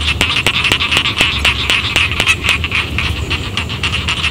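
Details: Rice field frogs call in a dense chorus in village rice paddies, with sharp clicking notes about four times a second.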